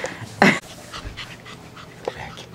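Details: Peekapoo puppies: one loud, short, rough yelp near the start, followed by soft breathy panting sounds and two brief faint yips toward the end.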